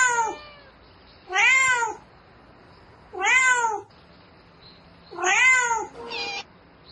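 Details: At night a domestic cat calls for a mate with loud, arched meows repeated roughly every two seconds, each swelling and falling in pitch, four cries in all over a quiet background.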